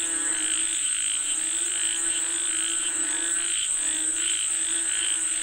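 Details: Frogs calling for rain in a continuous chorus: nasal, harmonic croaks rising and falling in waves, brief pulsed notes repeated regularly, and an unbroken high insect buzz behind them.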